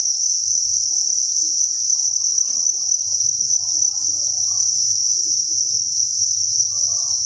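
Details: Thousands of crickets chirping together inside a cricket breeding farm; a dense, continuous high-pitched trill with no pauses, steady throughout, with faint low murmurs beneath.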